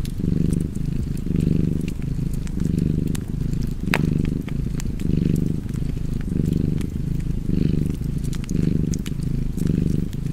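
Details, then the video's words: Steady purr from a cat near a fireplace: a continuous deep vibrating hum pulsing in even inhale-exhale cycles close to once per second, with intermittent crisp crackling and one loud pop from the fire. "Cozy Purring Cat ASMR / Kedi Mırlaması"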